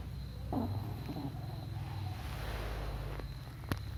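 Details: Pet dog Belinha asleep and dreaming, snoring in a low, grumbling rumble; a short whiny whimper rises early on and a sharp click sounds near the end.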